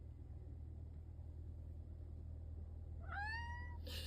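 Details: A long-haired rescue cat gives a single clear, rising then level meow near the end, over a steady low rumble of background noise.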